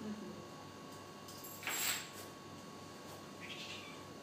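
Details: African cat hunting a lizard, climbing along eaves and walls after repeated watching; a sharp noisy burst, then a short faint rising high meow near the end over steady low hum.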